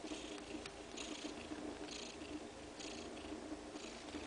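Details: Two-day-old kittens suckling milk from their mother, steady low purring rumble throughout with soft rhythmic hissy bursts of suckling noise recurring roughly every second.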